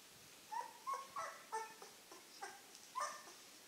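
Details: Nine-day-old Czechoslovakian wolfdog puppies from the 2016 Heaven & Baron litter, indoors, giving a string of short, high, tonal whimpers and squeaks, about seven in under four seconds, each note brief and slightly rising.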